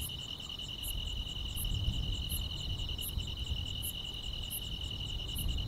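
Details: Insects of the grass sing through a summer night: an unbroken high trill, punctuated by sharp, very high chirps about every 0.7 seconds, with a rumbling low backdrop.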